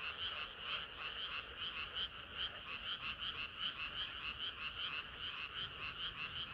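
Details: Frogs singing on a hot summer night, nearer callers giving rhythmic, throbbing croaks that swell and fade about every half second over a softer continuous chorus.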